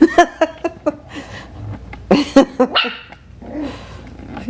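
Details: A litter of Coton de Tulear puppies, five weeks old, gives a quick run of short high barks, then a second burst of sharp yaps after a pause, with a woman's voice nearby.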